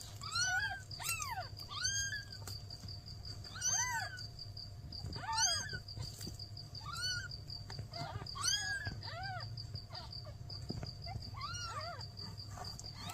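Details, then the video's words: Mother cat seeking help with her newborn kittens; clear, high arched meows with rich overtones come every few seconds, some in quick pairs, over a constant low hum. "Mother cat ask for help! Newborn kittens meows"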